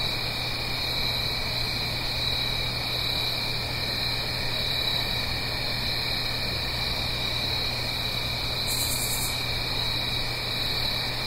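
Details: Fall cricket song at night in the Blue Ridge Mountains, uphill from a gentle stream: continuous layered high trilling, with a short sharp very high buzz about two-thirds through, beneath which runs a low steady hum and soft noise.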